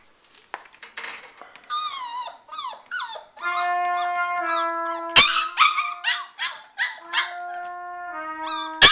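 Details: Shiba Inu singing along with trumpet practice for the first time, its wavering, sliding howls rising and falling over sustained steady trumpet notes, with sharp clicks near the end.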